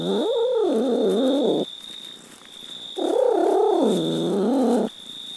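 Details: Pet cat giving two long, low, wavering drawn-out meows, each nearly two seconds, with a steady high electrical whine and faint room noise between them.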